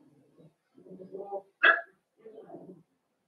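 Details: Cavalier King Charles Spaniel puppies in an indoor puppy pen, being socialized with several larger adult dogs they already know. One sharp, loud bark stands out between softer, low murmuring sounds before and after it.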